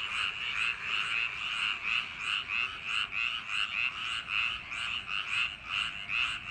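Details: Summer-night paddy field frog chorus: many frogs croaking together in harsh, buzzy pulses that swell and fade rhythmically, about two each second, a constant wall of sound with nothing else audible.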